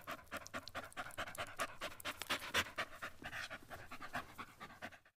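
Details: Short, rapid, huffing breaths from a Shih Tzu during a puppy-cut grooming session. They repeat about twice a second in a loose, uneven rhythm and stop abruptly at the end.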